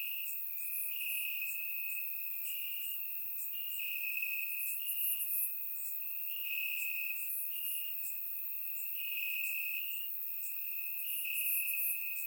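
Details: Crickets chirping in grass on a warm summer night in Bulgaria, recorded with a surround microphone: a steady high trill in pulsing bursts, with brighter higher chirps from other insects scattered above.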